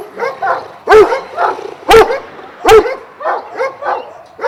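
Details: Šarplaninac dogs of Vujanski lineage at a kennel in Jasika near Kruševac, Serbia, twelve dogs kept there: loud deep barks roughly once a second, with softer overlapping barks from other dogs between them.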